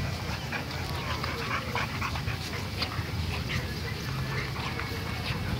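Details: A dogo argentino and a Dalmatian bulldog in a fight: continuous dense scuffling with scattered sharp, yelping bursts and whimper-like sounds, steady loudness throughout, and a man's voice in Spanish mixed in.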